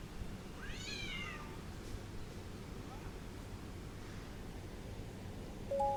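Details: Angry cat uttering a single arching, harmonic meow near one second, followed by a faint short chirp, then quiet low rumbling and a brief tonal beep at the close.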